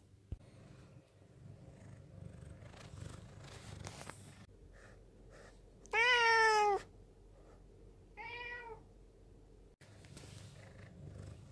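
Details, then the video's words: Black rescue cat, taken in from a mountain village in 2013, appealing to its owner: faint rustling and shuffling, then one loud, clear meow followed two seconds later by a softer, shorter meow. "にゃ〰️ﾆｬｰとアピールする保護猫 A cat that makes a low voice even though it sounds cute."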